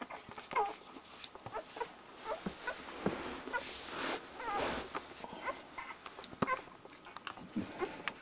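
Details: Border Collie puppies a week old, drinking from their mother, let out faint sporadic squeaks and brief whines amid a steady hiss of suckling and rustling.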